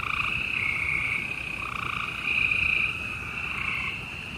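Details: Night chorus of gray treefrogs in Houston, Texas, 28 April 2020: several males trill at once, their rapid pulsed calls blending into a continuous high buzz with gentle rises in loudness.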